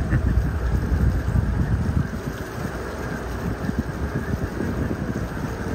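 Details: Heavy wind buffeting and a low boat engine rumble on a whale-watching cruise in Kenai Fjords National Park, Alaska, with no animal voice heard.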